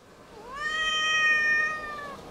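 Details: Very talkative female Siamese cat replying to its owner's questions indoors with one loud, long, clear meow that rises quickly, holds a steady tone for over a second, then drops away, owner speaking afterward.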